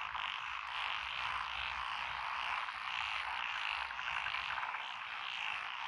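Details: Frogs of several species, including Japanese tree frog, black-spotted pond frog, wrinkled frog, Schlegel's and forest green tree frogs, call from lotus paddies in Echizen, Fukui, Japan, June 2021. Constant massed croaking with quick rhythmic pulses, and a soft low rumble beneath.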